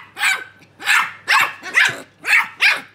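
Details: Two small Keeshond puppies talk to each other with a steady series of six shrill, yapping barks spaced about half a second apart, each with a brief whiny tail.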